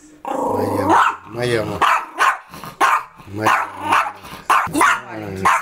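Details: Yorkshire Terrier protecting its mistress: a low rumbling growl, then a string of short, sharp yaps coming about every half second, with a woman's voice speaking over them.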